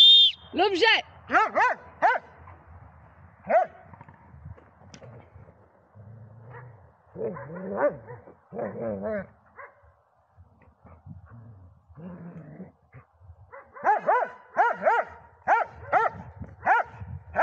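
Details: An old Dobermann, aged 11 years 7 months, gives bursts of short, yelping barks and whines. The bursts are separated by quiet pauses, and a person speaks in between.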